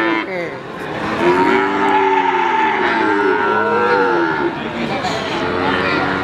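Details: Cattle at the Wagenan cattle market in Pati, Indonesia: overlapping drawn-out moos from several animals, rising and falling, over steady crowd and market noise.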